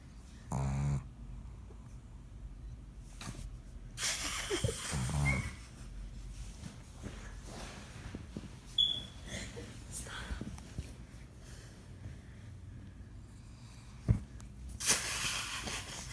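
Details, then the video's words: A sleeping female pug snores indoors: a low, rasping snore near the start and another around five seconds, between quieter breathing and a few sniffs and soft noises in a small room. "My pug Snores"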